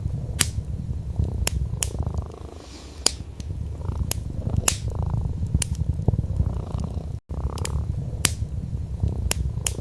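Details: Domestic orange tabby cat sleeping on a soft wool rug by a fireplace, binaural audio: low continuous purr with a quieter stretch early on and a momentary gap of silence partway, accompanied by frequent sharp crackling of burning wood.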